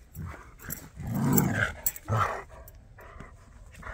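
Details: Jack Russell and Bernese dogs playing and chasing: low rumbling growls and huffs in short bursts, a couple of sharper yips, scuffling and panting around them.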